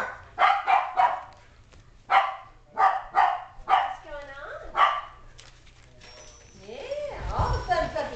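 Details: Adult Shetland Sheepdog named Sasha barking beside an exercise pen where five-week-old Sheltie puppies tug a tiger toy; six sharp, loud barks in uneven bursts over five seconds, followed by a human voice talking.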